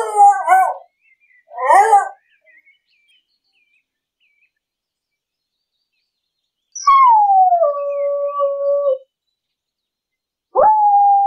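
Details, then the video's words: English beagle in a city park during a walk, two sharp barks in quick succession, a long gap of quiet, then a drawn-out falling howl lasting about two seconds and a final short bark. "Beagle barking in the city park. Loud english beagle dog sound."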